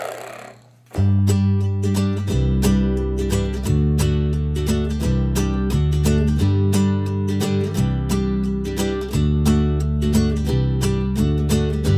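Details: Strummed acoustic guitar music plays steadily after about a second of near silence, with no animal voice.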